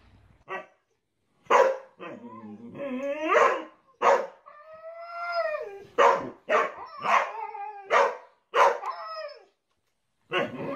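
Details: Siberian Husky from a 2021 compilation of funny dog moments, giving a run of short yelps and barks broken by longer wavering, rising-and-falling howled 'talking' calls, rich in harmonics, with brief silent gaps between bursts.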